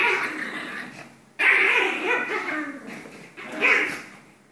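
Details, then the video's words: Two Pomeranians at play-fighting, giving harsh growling snarls in uneven bursts with wavering rises and falls, a quiet pause before a louder stretch, and possible voices in the background. "Two Pomeranians have Fun Playing and Fighting"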